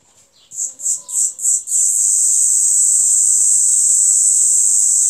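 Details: A deafening cicada, about 90 decibels, heard in a yard in Amara, Ialomița County, Romania, on 26 June 2020: four quick, shrill, pulsing buzzes swell into an unbroken, high, hissing drone.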